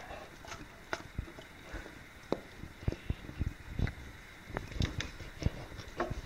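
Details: English Springer Spaniel eating watermelon, recorded on 2015-08-11; sharp, wet crunching and biting clicks come in irregular bursts, a few each second, over a low steady background hum indoors.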